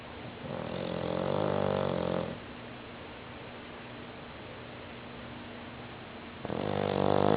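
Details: Snoring from a stout 60-pound female bulldog, a rough, buzzing snore lasting about two seconds, a long quiet stretch of soft breathing, then another loud rattling snore beginning.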